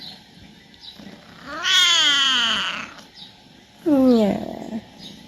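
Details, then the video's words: Talkative male pet cat at home calling because he wants his owner to play: one long, drawn-out meow rising then falling, followed after a pause by a shorter, downward-sliding meow, with faint room noise between. "Talkative cat wants his owner to play with him."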